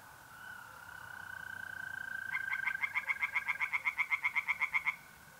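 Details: Pond tree frogs calling on an April night in North-East Italy. A fast run of sharp, regular croaking pulses builds for about two and a half seconds, while mole crickets keep up a continuous, even trill.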